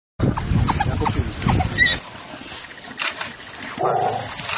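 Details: African wild dogs giving rapid, high-pitched twittering and chirping calls in dense bursts for about two seconds, then a quieter stretch with faint scattered squeaks and background noise.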